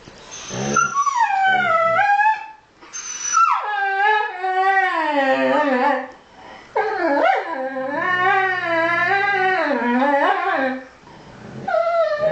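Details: Pair of huskies chatting to each other: a string of long, wavering, yodel-like moans that slide downward and up again, separated by short breaks, loud and close.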